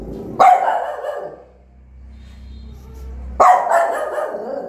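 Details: Newborn puppies' mother barking angrily and loudly at them; two forceful, noisy barks about three seconds apart, each followed by a rough trailing tail, with a low steady hum in the quiet stretch.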